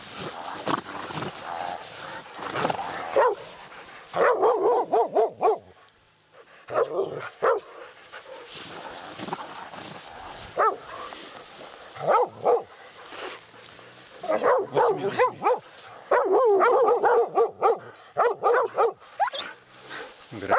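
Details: A laika gives loud, urgent barks in quick, uneven runs during a night badger hunt, its first encounter with a badger. Some bursts become near-continuous volleys before short lulls, then the barking resumes.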